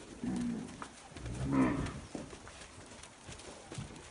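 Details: Nelore calves from fixed-time artificial insemination. A brief low lowing comes first, then a louder rising moo about a second long, with a quiet outdoor background.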